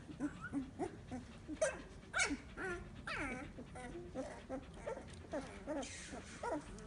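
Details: Several 15-day-old Samoyed puppies whimper almost continuously: overlapping short, wavering whines and squeaky yelps, some sliding up and down in pitch, against constant rustling.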